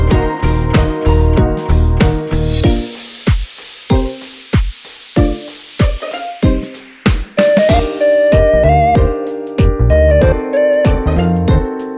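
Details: Loud background music with a steady drum kit beat, bass notes and a melody line, with no animal voice audible.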